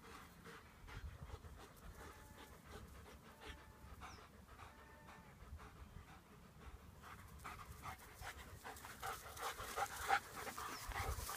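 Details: German Shepherds playing, one panting in fast, breathy bursts about three per second, soft and steady, with faint rustling and movement noise rising toward the end.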